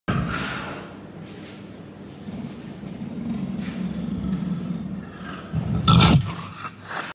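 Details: A young female Far Eastern leopard in her zoo enclosure, at mealtime and intolerant of onlookers, gives a low, rumbling growl that swells and ends in a sharp, louder snarl.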